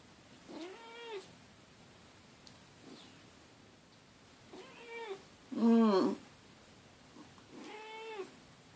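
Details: Lugosi, a pet cat indoors, meows insistently to get his owner out of bed: four drawn-out, wavering meows spaced a few seconds apart, the third loudest and harshest, with quiet room sounds between.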